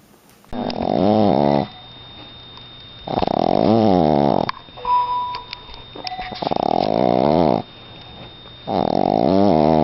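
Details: A dog gives a drawn-out, wavering, low moaning howl in four separate bursts of about a second each, with quiet pauses between them, indoors.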